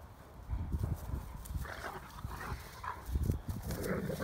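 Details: Two Great Danes, Mikey and Ellie, play-wrestling in the sunshine, pouncing and leaping as Ellie rolls Mikey over whenever he lies down; short low grumbling growls and huffs come in bursts amid thuds of bodies and scuffling.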